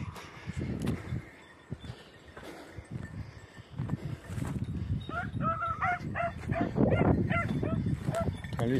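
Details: Beagles, red and blue tick and lemon-white, at hare hunting practice on Crete in 2021: after rustling and footsteps, a fast run of high, ringing yelping barks with rich overtones follows in quick succession over brushy outdoor noise.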